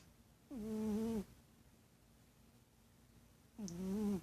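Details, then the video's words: Domestic cat snoring indoors, two drawn-out humming snores of under a second each, low and tonal with a slight wavering pitch, separated by three seconds of near silence. "Snoring cat"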